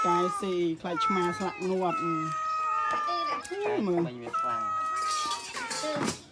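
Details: Several abandoned cats meow over one another in a small room, with long drawn-out mewing cries and short rising calls overlapping, while people talk nearby throughout.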